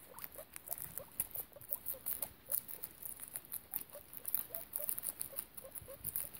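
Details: Guinea pig mother with babies kept in foster care, quick soft repeated squeaks about three per second over rustling bedding patter and faint hiss.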